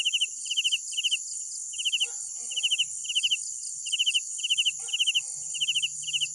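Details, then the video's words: Crickets at night giving rapid pulsed chirps in groups of three or four, bursts spaced about half a second apart, layered over a constant high-pitched insect hum with occasional soft clicks and rustles. "Sounds of Night Crickets"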